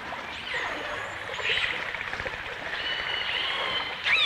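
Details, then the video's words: Dolphins, recorded in stereo in 1989 with orcas also present: a thin high whistle, then a buzzing click train around the middle, followed by a long level whistle and a short sweep at the end, with underwater hiss throughout. "The Enchanting Sounds Of Dolphin Song"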